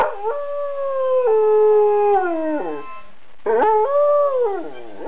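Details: An Afghan Hound sings along to a harmonica in long, wavering howls, seemingly happy.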